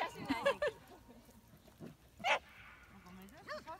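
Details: Pembroke Welsh Corgi, possibly the female Hina born 8 July 2015, running and playing with littermates outdoors; short sharp harmonic barks and yips near the start and again around midway, with a rising whine at the end and people talking in Japanese.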